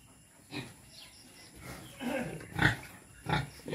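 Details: Native Quezon black pigs at feeding, giving a few short harmonic squeals and grunts spaced about half a second apart over a low, quiet background.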